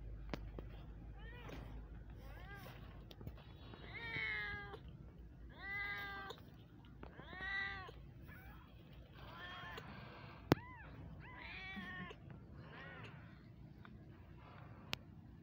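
Kittens meow repeatedly in thin, high, arching cries with rich harmonics, a few seconds apart.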